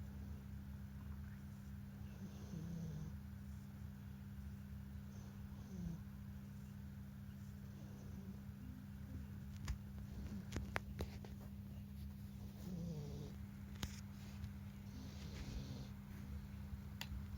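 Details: Domestic cat Momo-taichō (Captain Momo) snoring in its sleep, a sound likened to a human's snore: soft low rasping breaths recur every few seconds over a steady indoor electrical hum, with a few sharp clicks midway.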